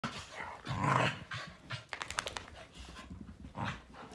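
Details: Three dogs, a Malinois, an Akita and a Corgi, wrestling in their daily morning play; a low, rough growl swells near one second, followed by a run of sharp clicking scuffles and softer snorting growls.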